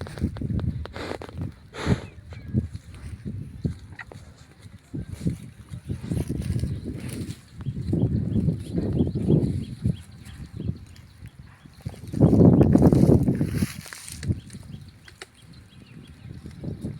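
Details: Buffalo in Laos giving deep, low grunts and a longer moaning call, with thumps and rustling around them.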